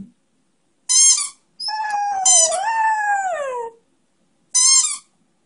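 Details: A one-year-old male Beagle Schnauzer mix howls, "singing", in a long wavering tone while squeaking a squeaky toy.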